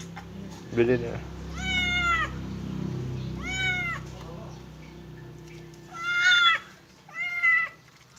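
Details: Kitten or cat meowing during its first bath: four clear arched meows, two close together early and two more near the end, with low background hum.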